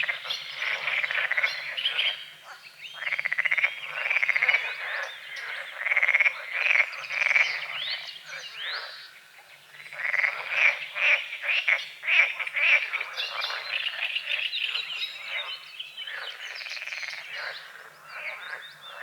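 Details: Frogs croaking at dawn over a small lake on a forest edge, morning fog on the water; a dense chorus of rapid, rasping croaks pulsing in waves with brief lulls, bird chirps mixed in.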